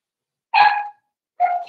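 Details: Four-week-old Cavalier King Charles Spaniel puppies from Daisy's litter in their indoor puppy pen: two short, high, harmonic yelps about a second apart, the first louder and longer, in a quiet room.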